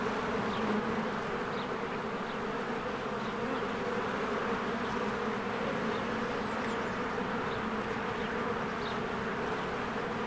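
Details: A busy honeybee hive in spring, with bees flying in and out: an unbroken low humming drone and occasional brief, faint bird notes above it.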